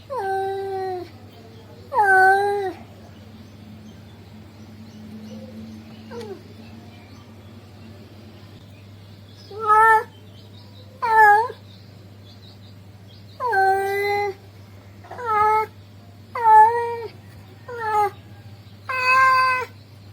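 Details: Male cat calling a female: loud, harmonic meows repeated irregularly, mostly falling or bending in pitch, each about half a second long, in bursts after quiet gaps, with a steady low hum in the background.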